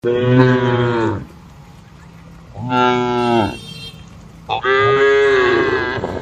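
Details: Cattle in a traditional shed at night, with night wind: three long harmonic moos, each about a second or more, separated by quiet pauses, the last one longer with a wavering pitch.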